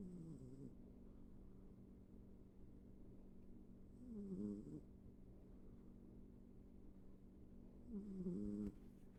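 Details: Sleeping pet cat snoring in a small room, three soft rumbling snores spaced roughly four seconds apart, each ending with a faint hissy exhale; steady low hum between breaths.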